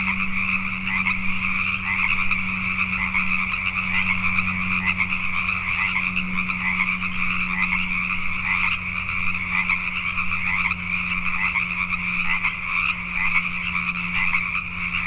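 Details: Night chorus of Pacific tree frogs in Richmond, British Columbia, Canada: many frogs croaking together in a thick, rattling wall of sound that never pauses, over a constant low hum.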